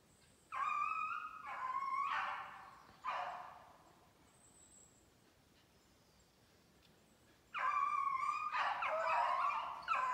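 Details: Maine beagles chasing a snowshoe hare during July 2019 conditioning runs; long, wailing bays in two clusters separated by a quiet stretch of several seconds, voices overlapping near the end.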